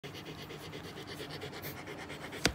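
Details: Samoyed dog that has just given birth, breathing in quick, steady panting puffs throughout, soft and close, with a brief sharp click just before the end.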